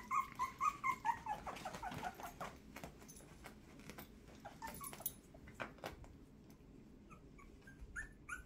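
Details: Miniature Schnauzer puppies, two weeks old, from the first litter of Stella and Baxter, crowding their mother Stella to nurse indoors. Thin, high squeaky whimpers repeat rapidly over the first two seconds, then fade into soft clicks and rustling.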